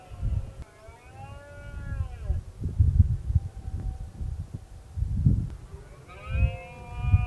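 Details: Roars of a red deer in the 2016 rutting season, a ruling stag versus one rival male: two long harmonic moans, one sagging downward, a second beginning near the end, over steady low-pitched rumbling noise.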